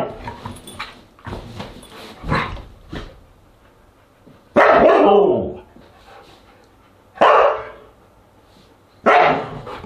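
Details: Siberian Husky barking during a dinner party dated August 10, 2022; softer yips early, then three strong drawn-out barks roughly two to three seconds apart, separated by quiet.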